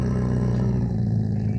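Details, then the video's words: Pet dog Jacky guarding his bone gives a steady, deep, rumbling growl that holds without a break throughout. "Dog Protecting His Bone 🦴 || Taking a Bone From my Dog"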